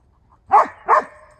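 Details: Two loud, sharp dog barks about half a second apart in a husky and Briard face-off, each a short burst with strong mid-range tone and a brief trailing ring, over a very quiet background.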